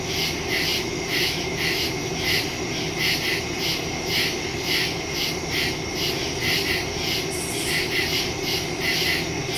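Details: Nocturnal cricket chorus in woodland, September 2, 2023, phone with stereo mic: high pulsing chirps beating about twice per second over an unbroken shrill trill and a low, even background rumble.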